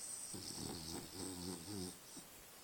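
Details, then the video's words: French Bulldog dreaming and snoring after a long, adventurous day in the forest: a series of soft, low, wavering snore pulses over about two seconds, with a steady background hiss. "French bulldog Dali dreaming and snoring."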